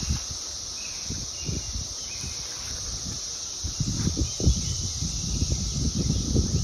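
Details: In summer 2021 in Indianapolis, USA, a cicada holds a steady, high, hissing drone without a break, over low rumbling and rustling.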